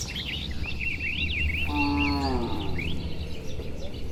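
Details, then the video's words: Dozens of tame, healthy cattle walking home to their shed on a warm afternoon along a tree-lined village road; a single drawn-out, slightly falling moo rises midway, while small birds keep up quick twittering chirps throughout. "Suara Sapi Moo"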